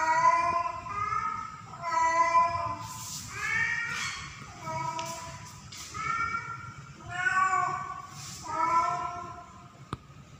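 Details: Female domestic cat in heat during mating season, calling for a male cat. She gives a steady series of about eight nasal, harmonic meows, roughly one every second, alternating louder and softer, with a faint hum behind.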